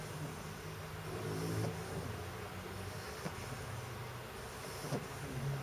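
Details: Ribizli, a pet pug, snoring while asleep: low, rumbling breaths with a snort-like burst about every one and a half seconds, over a steady background hum.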